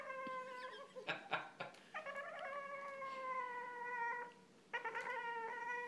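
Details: An 8-month-old Boston Terrier whining because he isn't getting any attention: long, drawn-out, nasal tonal whines, each slightly falling, broken by a few sharp taps and clicks in a small indoor space.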